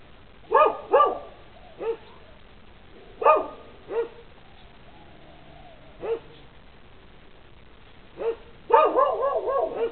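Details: Dogs barking on a lanai, single barks and pairs scattered irregularly, ending in a rapid run of several overlapping barks, over a faint background hum.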